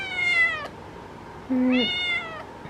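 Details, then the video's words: Chatty orange female house cat making two separate meows, each rising then falling in pitch with bright harmonics, with a brief low hum between them and a quiet room behind. "Talking Orange Cat!"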